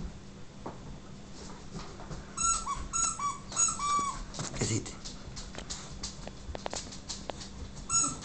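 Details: Siberian huskies excited by a squeaky toy produce a cluster of high, quavering whines and squeals, with scuffling and clicks and a person's voice faintly in the room.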